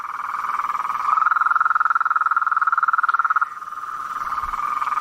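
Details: Blacksmith tree frogs in a swamp after dark: an even, rapid pulsed trill, with a louder, slightly higher-pitched stretch in the middle, then back to the steady background chorus.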